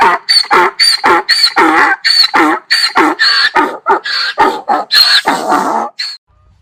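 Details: ['Donkey bray, given in anger or fear, heard as a steady series of hoarse, rasping see-saw pulses, roughly three per second, ending in a brief silence.']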